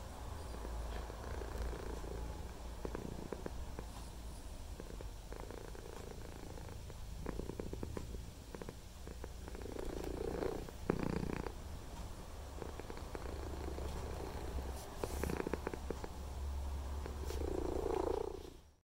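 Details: White and ginger male house cat purring with tongue out, phone recording; continuous low vibrating purr swelling with each breath roughly every few seconds, with small clicks and rustles.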